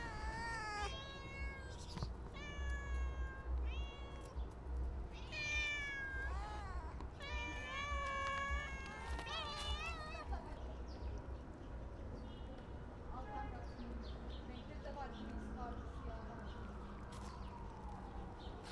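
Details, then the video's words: Stray cats being fed give a busy run of meows in the first ten seconds, short and wavering, some rising and falling, several voices overlapping; quieter faint meows follow over low rumbling background noise. "Too Much Meow! Cute Stray Cats - Feeding Stray Cats"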